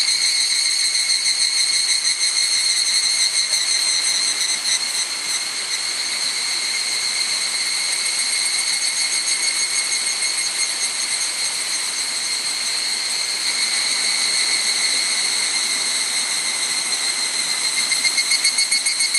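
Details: Evening cicadas (higurashi) singing on a cloudy evening, 31 July 2011, 18:00–18:30, on the Hokyousan hiking trail near Gokurakuji, Tsukuba, Japan, recorded with a camera's built-in mic; dense, continuous high ringing trill with steady layered tones and slight waxing and waning throughout.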